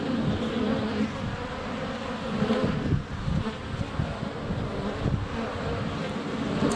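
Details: Honey bees in flight at a hive entrance on a sunny February day, filmed up close with a GoPro Hero 7 Black; a dense, steady low buzzing hum with thumps of bees landing on the camera.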